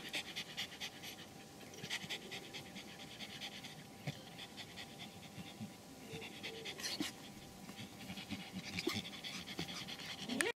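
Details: Pomeranians at a Kyiv kennel panting in soft irregular bursts, with a few sharper squeaky whimpers and light handling noise.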